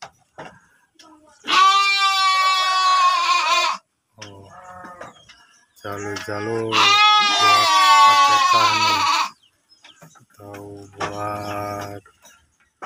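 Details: Breeding sheep in a pen at Tanjung village, Cipunagara, Subang, bleating three times: long, harmonic, slightly quavering cries, with a man's low voice talking during the gaps.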